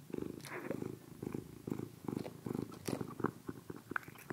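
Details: Sugar, a pet cat, purring while eating Almo Nature wet fish meals in broth; a low rumbling purr swells in steady bursts about twice a second, with faint wet clicks and smacks of chewing over it.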